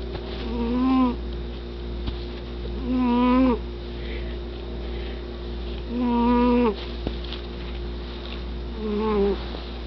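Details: Loudly snoring cat indoors, giving a steady, nasal, humming tone on each breath, about three seconds apart, four snores in all, over a faint continuous hum.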